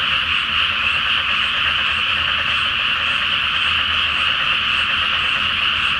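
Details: Short stretch of a great frog chorus in a flooded rice field at night before planting, full moon reflected on the water; many overlapping croaks merge into a steady roar.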